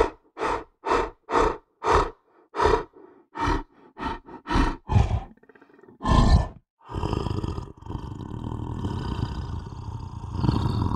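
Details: Lion giving a run of about ten short, evenly spaced grunting bursts, then one louder roar, followed by a stretch of continuous rumbling noise.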